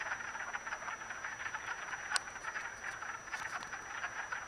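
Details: A chorus of wood frogs mating in a vernal pool in Acton, Massachusetts, on March 18, gives dense, duck-like clucking croaks that overlap without pause.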